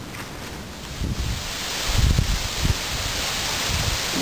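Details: Wind and rustling in a puddle-strewn backyard just after a typhoon, with soft thumps but no animal calls.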